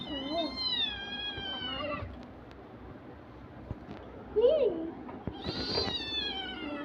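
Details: Kitten playing with two young children gives a long falling meow, then a short bent mew and a final higher cry, with children's voices and household handling noises around it.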